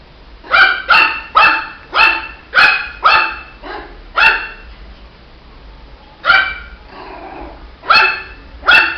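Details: Shih Tzu puppy barking: a run of seven high, sharp yaps roughly every half second, then a pause, then three more spaced barks, each bright and harmonic-rich.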